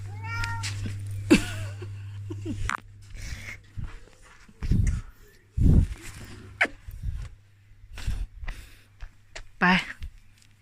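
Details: Tiki, an elderly Korat cat born and raised in Thailand and later moved to England, gives short harmonic meows, one near the start and another near the end, between a woman's speech and scattered household knocks.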